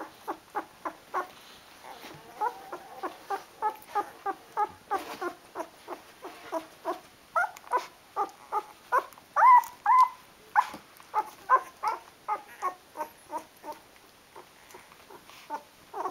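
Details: Twelve-day-old Rhodesian Ridgeback puppies indoors: continuous thin whimpers and squeals repeated about twice a second, a few louder wavering cries near the middle, over sixteen seconds.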